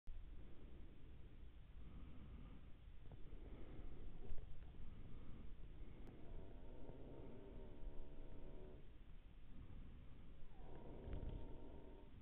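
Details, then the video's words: Red deer during the rut, viewed through a Pulsar Helion 2 XP50 thermal device. Two drawn-out, harmonic roaring calls rise out of a steady low rumble, one lasting about two seconds in the middle of the recording and a shorter one near the end. "Red deer rut"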